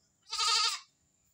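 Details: A single bleat from a new pet Visayan goat: a steady, nasal, slightly trembling 'maa' lasting about half a second, set against a quiet background.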